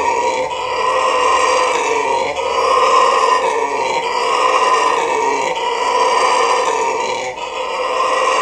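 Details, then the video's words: Loud guttural howling from a red howler monkey kept at Trinidad and Tobago Zoo, rough roaring phrases rising and falling about every two seconds in an unbroken chorus. "Red Howler Monkey"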